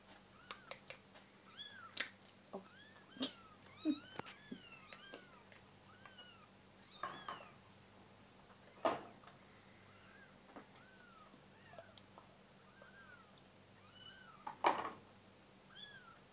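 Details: Hungry kitten at a church, meowing over and over in short arched mews, some rising then falling, with a few louder cries and faint background hum.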